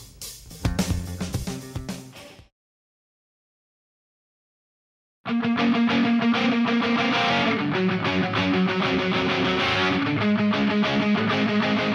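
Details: Rock music with guitar chords breaks off into about three seconds of silence, then a full band with electric guitar and drums resumes, loud and steady.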